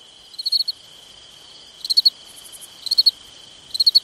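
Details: Crickets chirp on a summer night in short bursts of three or four high pulses, over a steady shrill trill.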